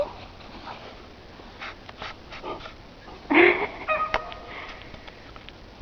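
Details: Sadie, a female English bulldog, playing with her ball in the snow: scattered short, noisy snorts and sniffs, then one louder, tonal burst midway followed by a few brief grunts, with light thumps and no speech.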